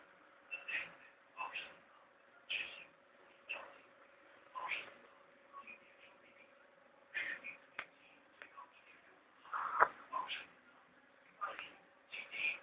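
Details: A household pet Chihuahua asleep, snoring in soft, breathy, wheezing puffs that come roughly once a second, some raspy, with a steady faint hum beneath in a quiet indoor room.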